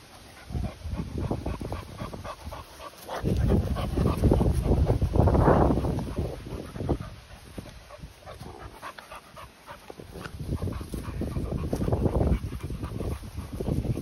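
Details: Continental Bulldogs, 10-month-old female Rita welcoming 2-month-old puppy Sumo, breathing in rapid, rough, breathy low pants at about three or four per second. The panting swells loudest around the middle, with some soft whimpering and handling noise.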